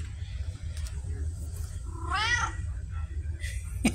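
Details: Pumpkin, a female red tabby cat with a talkative, Siamese-like personality, kept indoors, October 2023: one arching, harmonic meow rising and falling midway through, with low room rumble beneath.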